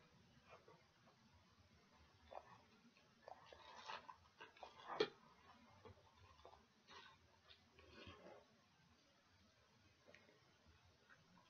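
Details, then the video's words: Close indoor recording of a dog gnawing on pig ears. Faint clicking and squelching builds to a burst of crunchy bites near the middle, then trails off into sparse, quiet chews. "Dog Chewing Pig Ears"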